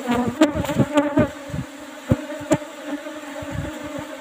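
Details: Asian honey bee colony (Apis cerana) in an old-style box hive under an asbestos cover while honey is harvested; a continuous low humming drone with sharp knocks and taps from handling the hive.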